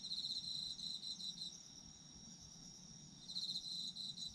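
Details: Night chorus of autumn insects meant for sleep: bursts of rapid high chirping at the start and end, separated by a quieter stretch where only a thin continuous ringing remains.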